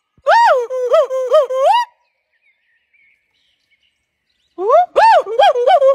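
A golden snub-nosed monkey gives two bursts of wavering, rising-and-falling harmonic calls separated by silence.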